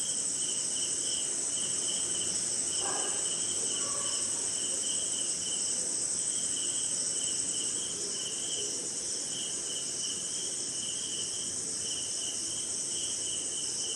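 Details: Crickets and other insects on a short rainy night somewhere in India: a steady high continuous trill overlaid by a pulsing mid-pitched chirp, with a brief tonal call near the third second.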